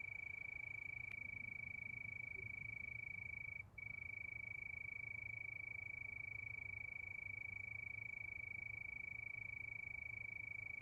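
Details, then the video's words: Moonlit night with crickets, their high steady tone pulsing rapidly, briefly broken by a short gap near the middle, with a single click early on and low rumble beneath. "Sound of Crickets"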